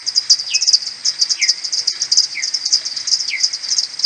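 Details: Common pipistrelles of a maternity colony coming back to the roost in the morning on 21 May, slowed ten times, Audiomoth 1.1. Quick ticking pulses are interrupted by four sliding, downward-bending social calls about a second apart.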